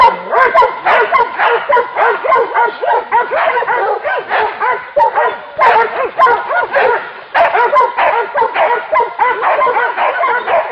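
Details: Several hunting dogs baying at a wild boar during a hunt, a near-continuous barrage of sharp yelping barks, almost two per second, with arched, strained pitch contours and voices overlapping throughout.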